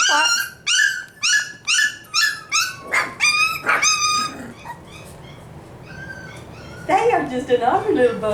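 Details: Five-week-old F1b Cavapoo puppies at a Missouri kennel yipping in a fast, even series of about eight sharp, high barks. A pause follows, then a burst of wavering whines, with people talking in the background.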